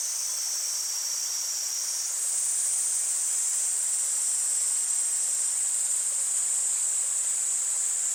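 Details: August cicadas singing by a stream. A high, continuous buzzing drone steps up in pitch after about two seconds and stays level, with a steady wash of running water beneath.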